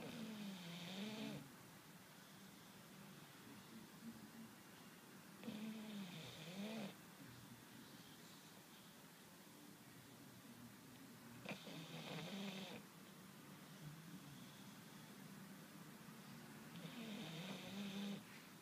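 An English Bulldog snores in slow, rasping bursts, one roughly every six seconds.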